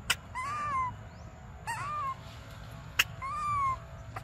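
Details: Baby monkey named Briar crying for milk during a standoff, giving three drawn-out whining cries, each a high wavering tone that rises then falls, separated by sharp clicks, over a low rumbling background.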